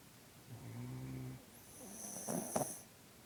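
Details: Sleeping puppy snoring: a low, harmonic rumbling snore on the in-breath, then a thin high whistling wheeze ending in a short snort, with quiet breathing between.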